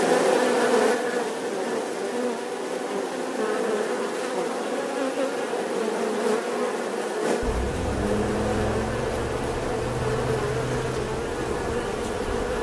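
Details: Continuous droning bee buzz with layered harmonics; partway through a low rumble joins in beneath it and lasts to the end.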